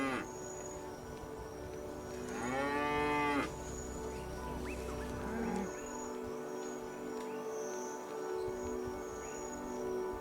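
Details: A Cape buffalo on the African savanna gives one deep, drawn-out, moo-like bellow lasting about a second, set against a steady background of soft music.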